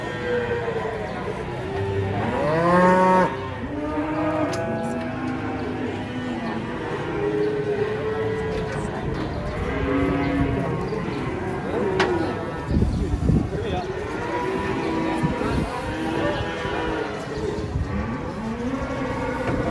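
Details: Cattle being unloaded from a truck give repeated deep, drawn-out moos with rich harmonic tones, several overlapping and rising then falling, with crowd noise and brief music in the background.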